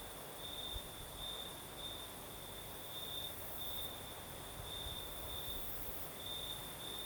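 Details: Crickets sing through a Crimean night on the southern coast as a night breeze blows: a shrill, evenly pulsed trill continues throughout, backed by soft windy rumble.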